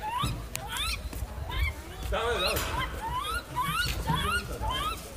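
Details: Lar gibbons at a zoo, recorded 20 September 2016 around a 71-day-old infant: a run of rising, whooping hoots repeated about once a second, climbing in pitch, over steady crowd chatter and low rumble.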